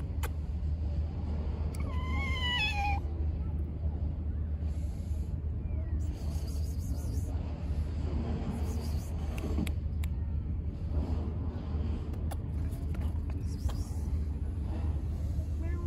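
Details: A stray street cat walking around and leaving its scent to defend its territory gives one clear, falling, harmonic meow early on, then stays quiet over steady low traffic rumble with faint voices and a few clicks.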